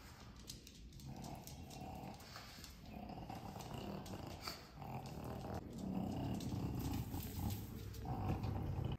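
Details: Low, rapid snorting grunts from Kongzi, a five-year-old female pug visiting a Korean dog cafe in Pocheon in spring. The rough pulses repeat quickly and grow louder toward the end, with soft music and room noise behind.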